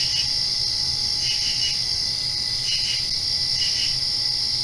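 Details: Night crickets directly after a rain, continuous high-pitched insect trilling with repeated triple-pulsed chirp groups about every 1.2 seconds, over a faint low hum.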